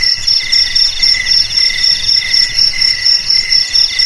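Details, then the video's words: Crickets sounding to scare rats from the home and farm: sharp, high, evenly pulsed chirps roughly four a second, two or three voices overlapping in a dense ringing trill. "Suara JANGKRIK Pengusir TIKUS Paling Ampuh untuk di Rumah,Garasi,Gudang,Sawah Agar Aman dari TIKUS"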